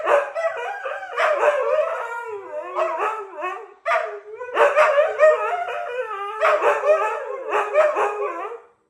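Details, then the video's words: Siberian Husky dogs howling together in the morning as a duet, long wavering howls that slide up and down, broken into phrases with brief pauses, overlapping voices. "Good Morning ☀️ from your favorite #husky #duet ❤️🎶 #funnydogs #howling"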